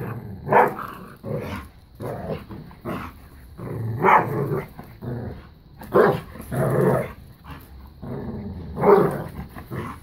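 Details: During keep away and tug of war, Bella, a five-year-old black lab pitbull, and a new puppy trade rapid gruff growls and bark-like snarls, short bursts packed closely through the whole stretch.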